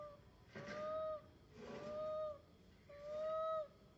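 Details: Young monkey MoMo tries calling mother Malika in the park, giving three long, level, whistle-like cries, each lasting nearly a second with brief gaps between, over faint background noise.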